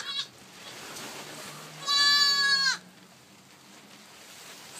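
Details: Newborn goat kid roughly one day old giving one strong, steady bleat lasting almost a second, with quiet background and faint voices before and after.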